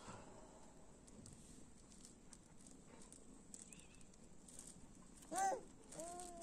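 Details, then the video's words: A naughty cat that wants to be loved gives a short, bright meow that rises and falls near the end, then a second, longer meow, over a quiet background with faint rustling. "Naughty Cat Wants To Be Loved"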